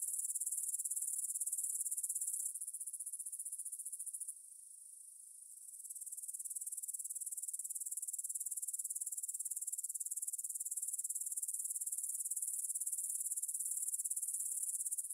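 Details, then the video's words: Grasshoppers stridulating in a meadow field near the Svensky monastery, Bryansk, Russia, at 9pm on 6 September 2020, recorded in stereo on a Tascam DR-44WL. A dense, very high-pitched shimmering trill runs steadily, with a brief quieter dip partway through. "Звук для сна: кузнечики на лугу – Grasshopper Sounds in the Field for a Quick Sleep"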